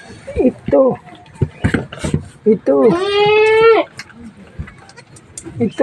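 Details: Domestic goat bleating just after one of the herd gave birth, people talking in Filipino around it; one long, strained, nasal bleat of nearly a second stands out mid-clip, between short voices and clatter.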